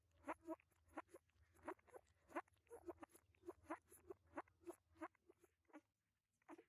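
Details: One-week-old puppies in their whelping box, filmed in 2021, give high, nasal whimpering squeals, rising and falling, in quick bursts about once or twice a second, with a faint low hum underneath.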